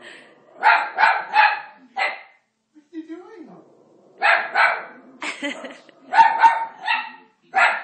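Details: Marty, an Italian Greyhound, barks at Moses on TV during The Ten Commandments because he dislikes him: sharp barks in pairs and threes, a pause, then more clustered barks, with a man's voice talking to him between them.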